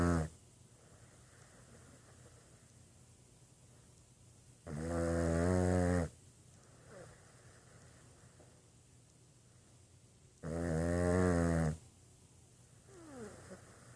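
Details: Boston Terrier snoring indoors: two loud, rattling, low harmonic snores, each lasting over a second and coming about six seconds apart, with soft, quiet breathing between them.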